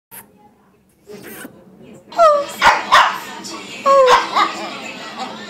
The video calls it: Shih tzu bruno :)